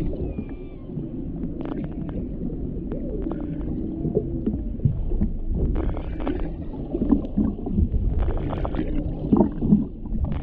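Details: Underwater recording near a humpback whale mother with her calf: short upsweeping moans and wavering tones weave through dense crackle and bursts of broadband clicking, over a steady low rumble of water.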